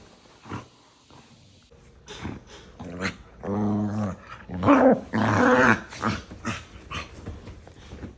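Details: Pair of pet dogs squabbling playfully nose-to-nose, all bark and no real fight, giving love bites; strained growly yaps build into drawn-out harmonic whining barks in the middle, then quieter snorts and grumbles.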